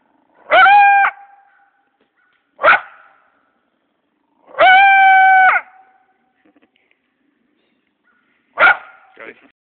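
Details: Caught coyote at Malcolm Farm, described as scruffy, alternating drawn-out, strained, tonal yelps with short sharp barks, four outbursts spaced roughly two seconds apart in a quiet setting.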